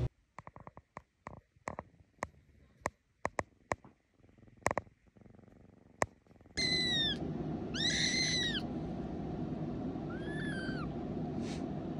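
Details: Cat giving three high, arching mews, each around half a second long and rich in overtones, following a run of sharp tapping clicks; steady hiss in the background.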